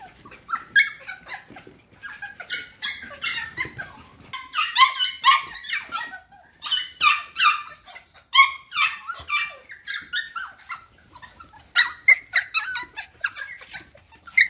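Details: Several F1 cockapoo puppies, bred from a Cocker spaniel mother and a miniature poodle father, give high, squeaky whimpers and short yelps. The calls overlap in a near-continuous chorus of thin whines, with brief quiet gaps between bursts.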